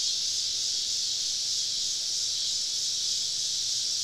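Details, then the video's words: Cicada chorus on a summer evening, recorded while camping deep in southern woods, with many insects all around; a steady, dense, hissing drone high in pitch, unbroken throughout with faint pulsing. "Southern Evening Summer Cicada Symphony"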